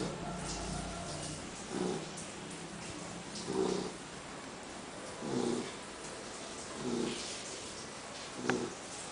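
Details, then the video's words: Loud snoring from a female poodle that likes to nap after breakfast, lunch, afternoon snack and dinner: five rough, buzzy snore breaths at a steady pace, roughly one every two seconds, in a quiet room. "POODLE TUTUCA RONCANDO."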